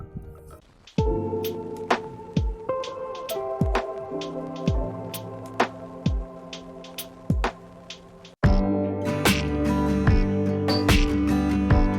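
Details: Gentle music with plucked, bell-like notes at about seventy-three beats a minute, then a fuller swell of sound; no cat or other animal is heard.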